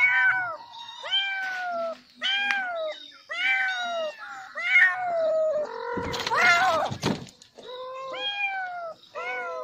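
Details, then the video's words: Kitten calling insistently with a quick series of high, arching meows, short and rising then falling, broken around the middle by a brief harsh, noisy burst before the mewing resumes. "Billi ki sound -cat sound -Nocopyright sound-Billi ki awaj"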